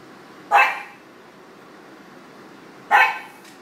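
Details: Pug barking at a studio in Portland, Maine, as a friend who works for the city passes by: two single loud, short barks roughly two and a half seconds apart, with quiet in between.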